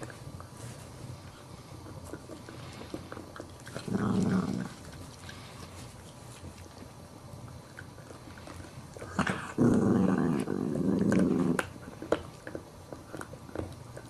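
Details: Chihuahua puppy tries to take a bone from a bigger adult dog that will not give it up; low, rumbling growl in two bursts, the second longer, in a quiet room; Chihuahua.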